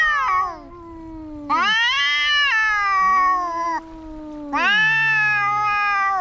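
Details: Two fighting cats exchange a sustained, harsh high yowl and a lower voice sliding downward beneath it, then a fresh loud wail bursts in after a brief dip.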